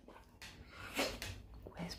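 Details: Red Siberian Husky Maverick, trained to whisper when asking for his treats, gives a soft, breathy whimpering burst midway. The owner's voice repeats commands around it indoors.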